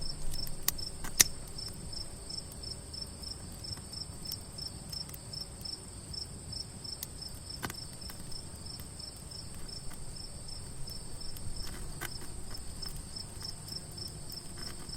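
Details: Crickets at night around a quiet campfire: steady high-pitched trilling in two continuous bands, with crackling fire pops and snaps scattered throughout and a low rumble beneath.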